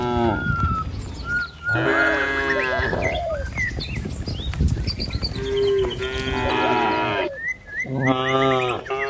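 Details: Cattle being herded along a village road to their pen among green trees and rice fields; a series of long, loud moos from several animals, some overlapping, with chirping birds and continuous shuffling of hooves.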